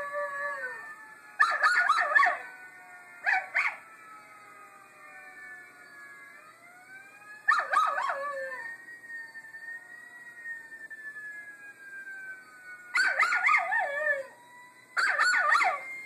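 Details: Small pet Miniature Schnauzer howling in response to a recorded howling Schnauzer played back: long, smooth, gliding tones with rich stacked overtones, broken by bursts of sharper yelping howls in clusters, around 1.5, 3.5, 7.5, 13 and 15 seconds.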